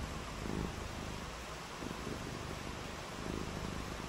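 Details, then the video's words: Purring cat on a rainy day, out playing in the rain: a deep, rough rumble rising in three breath-paced swells about every one and a half seconds, over a steady hissing wash. "RAINY DAY WITH FUN AND PURRING | CAT VIDEOS"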